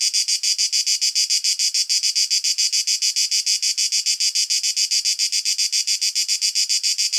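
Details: Cicada's tymbal song in a natural setting, recorded with a shotgun microphone: a shrill, sizzling buzz broken into quick, evenly spaced pulses, unchanging over the whole stretch, with no other sounds.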